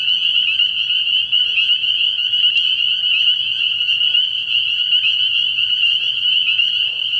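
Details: Early-year pond at night filled with spring peepers, countless shrill peeps blending into one steady high ring, a sharp click near the third second and soft low background hum.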